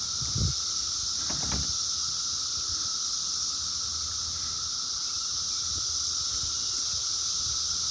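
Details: A dense, unbroken chorus of cicadas just emerged from the ground hums and hisses steadily, with a lower droning tone beneath, recorded on a rural property with a barn in Bucks County, Pennsylvania.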